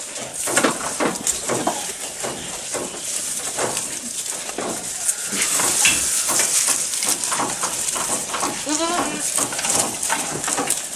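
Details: A goat eating, recorded close up, munches noisily with crisp, irregular crunching and tearing sounds as it chews.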